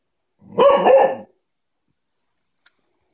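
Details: Cocker spaniel at play time giving one double bark, a loud harsh woof lasting under a second, then silence with a faint click.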